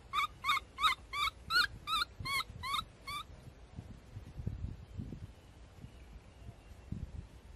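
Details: Screams from Abee, a baby monkey, come as eight bright, bending cries in rapid succession across about three seconds, followed by low rustling and handling noise.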